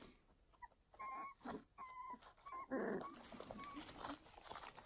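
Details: Young foster puppies from a new litter give short, high, flat whines in separate bursts, with a louder rough, noisy squeal in the middle and soft shuffling behind.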